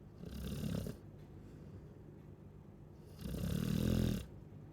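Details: Chow Chow snoring: two long, rough, throaty snores about three seconds apart, each lasting around a second, with quiet breathing between them.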